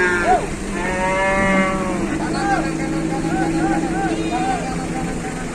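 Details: Cattle in Indonesia being unloaded from a truck: a drawn-out, harmonic-rich moo that swells and fades in the first two seconds, followed by shorter arched calls, with a steady engine-like hum and background voices.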